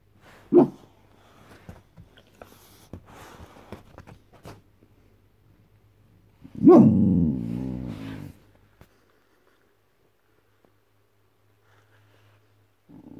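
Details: Guarding white Boxer dog Boss: an opening bark, scattered soft huffs and grunts, then a powerful hoarse bark-growl swelling into a rumbling snarl, followed by quiet with a faint low hum.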